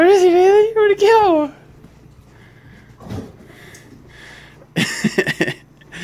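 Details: A male Siberian Husky puppy about 11 weeks old, playing with a Mastiff at the end of the day, gives a wavering, talkative woo-woo call while a person chats in the background.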